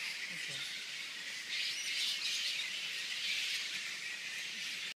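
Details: A roosting colony of giant fruit bats (kabug) in Apuao Pequena, Mercedes, Camarines Norte, makes a dense, continuous din of high, shrill squawks and chatter.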